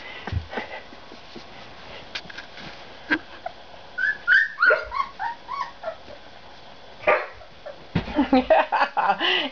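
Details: Dog giving quick, high whining yips that bend up and down, clustered mid-clip, with a person coaxing it close by and another burst of short cries near the end.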